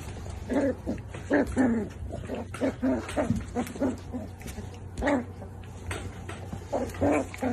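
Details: Miniature Dachshund barking in a rapid series of short, tonal, slightly howling yelps, grouped in bursts of two or three, with a constant low hum underneath.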